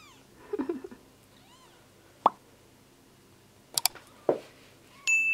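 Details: Domestic cat mother Piper washing her kitten Gary while Kiki watches; faint, short arched mews rise and fall several times, with soft thumps and clicks between them and a steady electronic tone at the end.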